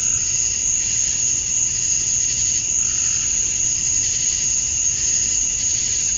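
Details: Short stretch of summer-dusk cicada song from Georgia, USA: a sustained shrill ringing with pulsating buzzy surges and a brief lower chirp near the middle.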